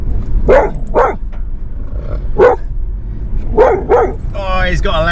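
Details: Border Collie barking loudly from a car while passing sheep, cows and llamas on the drive to a rainy campsite: five sharp, punchy barks over four seconds, followed by a man's voice.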